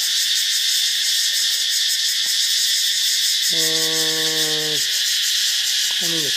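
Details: In daylight near a Thai beach, about 9:30, katydids keep up a loud, continuous high-pitched rasping drone with quick pulsing, while a man's voice speaks briefly over it midway through.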